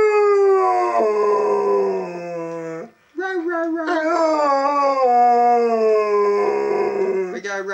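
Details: Benny, a household dog, howls on cue in an empty, quiet house: a drawn-out level howl drops and stops, then a second long, quivering howl begins on a higher note and slowly sinks.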